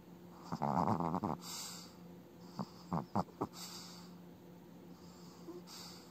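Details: An old Chihuahua snoring in its sleep, its eyes moving as if in an active dream. Raspy, rumbling snores for about a second, then three short nasal snorts in quick succession. A faint steady hum runs underneath, indoors.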